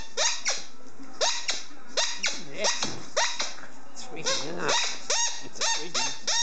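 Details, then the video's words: Helmutt, an 18-month-old German Shorthaired Pointer, plays indoors with a squeaky ball. He gives a quick run of short, tonal whines that bend downward, each one bright and ringing. Squeaks from the ball and a small room's echo mix in. "German Shorthaired Pointer Helmutt (18 months old) making some noise"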